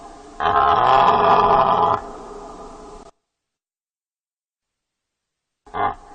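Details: Deer giving one loud, rough, drawn-out call of about one and a half seconds with a harsh buzzy tone. A quieter tail and a long silence follow, then a brief final burst.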